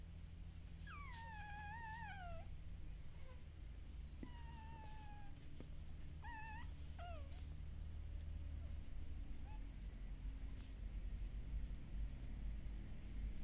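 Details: Puppies at a Netherlands Shiba Inu and Samoyed breeder howl with their mother away. A few thin, falling wails come in the first seven seconds, then fade, leaving a constant low rumbling hum.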